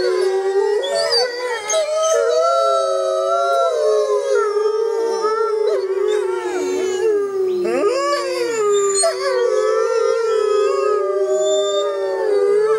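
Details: Wild grey wolves howling together at full moon in the jungle: several overlapping long tonal howls, sliding and wavering in pitch, some dipping then rising, a continuous chorus with no other sounds.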